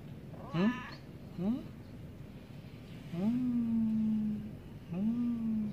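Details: Cats at feeding time, meowing because they want food or attention: two short rising chirps, then two longer low meows that climb and hold steady, spaced about two seconds apart over a quiet background.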